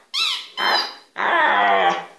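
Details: Domestic dog in a small room making talking-like sounds: two short high yelps in quick succession, then a longer strained whine that holds steady for about a second.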